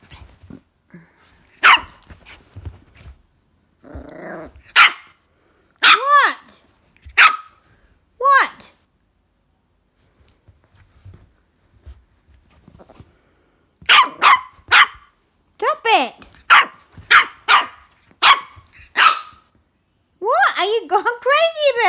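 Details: A young female Jack Russell x Maltese puppy barks in quick, shrill bursts, with a few whining yelps that bend up and down in pitch, during an unusual flip-out. A person's voice is heard briefly between the volleys.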